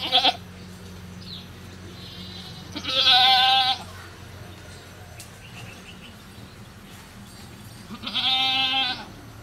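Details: Bleating of a goat on a cow farm while it gives birth to a baby goat: a brief cry, then two fuller trembling bleats about five seconds apart over a low background hum.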